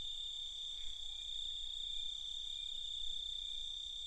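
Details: Crickets at night producing an even, continuous high trill in layered bands, with a faint low rumble and no other clear sounds.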